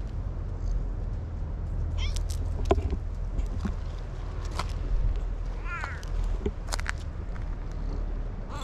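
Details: Orange-and-white cat, one of two affectionate male cats acting like a couple; a clear rising-then-falling harmonic meow just before six seconds and a fainter one earlier, over steady low rumbling background noise and scattered clicks.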